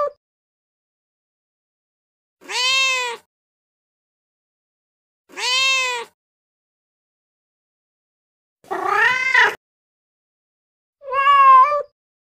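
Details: Cat meows for luring cats: four spaced meows, two arched and clear, then a rougher, buzzier one and a final flat nasal meow, with silence between them.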